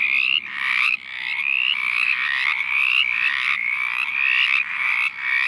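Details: Chorus of mountain chorus frogs at a forest wetland in southwest Virginia; harsh, rapidly pulsed rising trills repeated about twice a second by several overlapping males, with a faint high ringing above.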